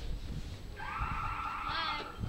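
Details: A walrus at an aquarium answers a person talking to it with a long, steady, horn-like tone with rich harmonics, like a droning alarm.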